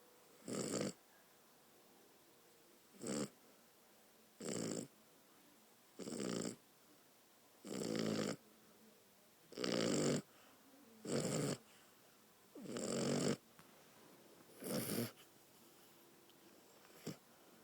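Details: Pet dog snoring indoors: rough, breathy snores in a steady rhythm, about one every one and a half to two seconds, each a short raspy burst followed by quiet.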